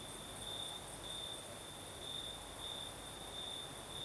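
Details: Crickets singing at night in the south of Crimea with a night breeze: a steady high chirring trill in pulsed bursts over a soft constant wind hiss.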